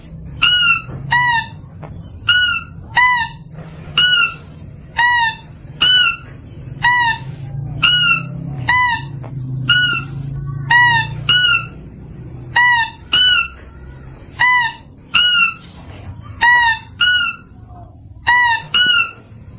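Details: Mouse-deer lure call: rapid doublets and triplets of sharp, ringing squeaks with rich overtones, repeated steadily every second or so, with a faint low rumble underneath.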